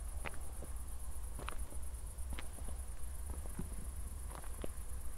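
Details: Night crickets in Zwettl, Austria, following a recent thunderstorm: a continuous high, finely pulsed chirping hangs above sharp footstep crunches and a deep background hum.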